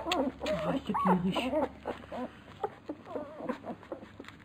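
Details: Labrador Retriever puppies at feeding time, a litter nicknamed the piranha puppies, giving short arched whimpers and yips that tumble over one another, with a steady low hum underneath.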